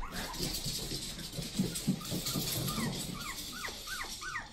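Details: One-month-old puppies that have just moved into their play area, giving many short high whimpers and squeaks, some rising then falling, overlapping one another over a steady low rumble.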